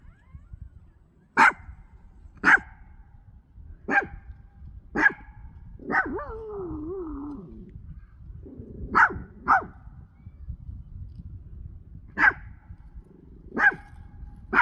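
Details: Pomchi barking at trees making noises in the wind; sharp, loud barks repeated at irregular intervals of one to three seconds, broken midway by a wavering whine or howl, then more barking.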